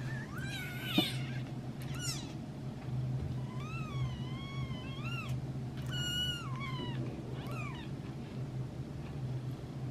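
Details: Twelve-day-old kittens meowing: thin, high cries, some arching up and falling, others rising at the end, about seven calls spread over ten seconds over a steady low indoor hum.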